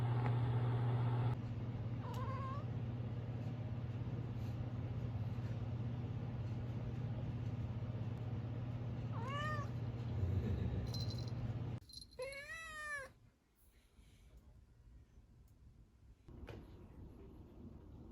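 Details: Female kitten, between 16 weeks and 11 months old, giving three soft, rising-then-falling meows spaced several seconds apart over a steady low rumbling hum, which drops away near the end.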